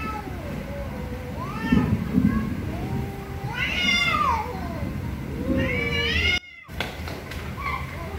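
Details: Several angry cats meowing very loudly, with long bending wails and harsh, shrill cries overlapping, a brief cut of silence, then more meowing over a low background rumble.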